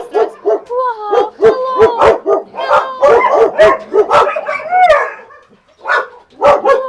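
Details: Husky named Max mixing quick, repeated barks with drawn-out, wavering howl-like whines, a dense sequence that fades into a brief pause before a few final barks.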